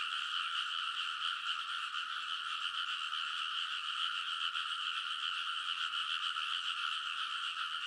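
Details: Rice paddy frogs in a loud nighttime chorus, early summer, Konosu in Saitama, Japan, via TASCAM Portacapture X8; a seamless blanket of many simultaneous croaking voices pulses lightly but never stops.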